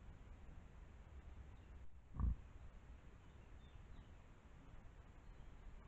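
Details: An Italian wild boar gives a single short, deep grunt against a quiet background hiss.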